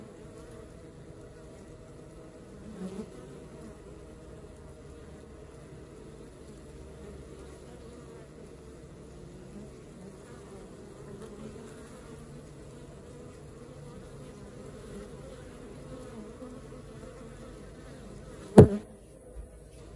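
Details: Low, soft hum of a honey bee colony at work, steady for twenty seconds, broken by a faint thump early on and a sharp loud click near the end.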